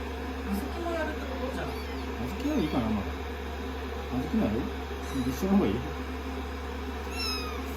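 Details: Rescued kittens, day 16 of a growth record, cuddling on a lap while being blow-dried after a shampoo. Short, high mews come in several brief bursts over a steady hum of the dryer, with a person talking softly throughout.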